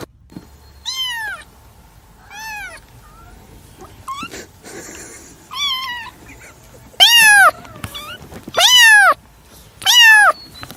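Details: Domestic cat meowing at intervals: clear arched meows about every one to two seconds, growing louder toward the end with three strong, drawn-out calls, over faint background hum.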